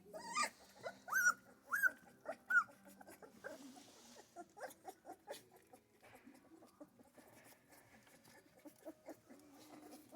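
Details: Central Asian Shepherd Dog puppies at their first feeding, given milk while their mother waits outside: a few short, high whining whimpers in the first three seconds, followed by soft, irregular smacking and clicking sounds.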